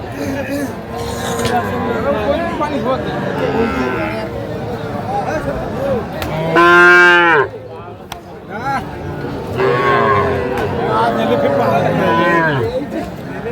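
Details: Young bull calves and heifers at a busy cattle market in Comilla, Bangladesh, April 2025: one loud, rich harmonic moo about a second long rises out of the din midway, with other softer lowing and crowd chatter throughout.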